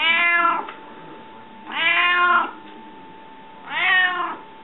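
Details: Three insistent meows from Rika, a hungry pet cat begging for food, each sliding down in pitch, spaced roughly two seconds apart, with a low steady hum in the quiet room.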